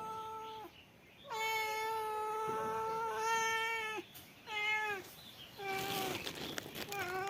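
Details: Male cat meowing repeatedly: one short meow, then a very long steady meow of almost three seconds, followed by several shorter, slightly falling meows. A brief rustling burst is heard near the end.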